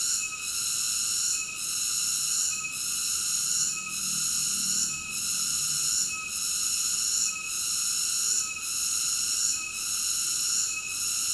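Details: Cicada singing as relaxing sleep sounds: a steady, high, shrill buzzing drone with layered ringing tones, swelling and dipping briefly about once every second in a regular pulse, with no other sounds.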